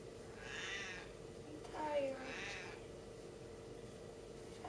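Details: Talkative, stubborn female Siamese cat Saskia, refusing to give back her hat, lets out a loud, falling, drawn-out meow midway. Softer breathy vocal bursts come before and after it, over a steady low hum.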